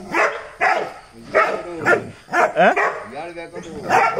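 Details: A Dachshund visiting a neighbour's house, where a German Shepherd and a native dog live, barks sharply at mid pitch about once a second while held on a loosened chain, with people talking nearby.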